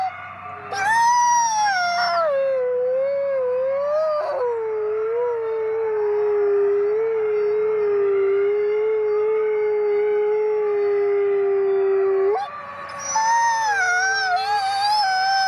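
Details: Gray wolves at the Wolf Conservation Center in South Salem, New York, howling together as a pack: a steady long-drawn wavering howl with several higher overlapping voices rising and falling above it, breaking off and resuming near the end.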